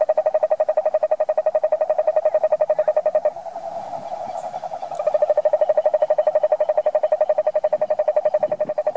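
A toad gives a long, steady, low-pitched pulsing trill that pauses briefly, then resumes.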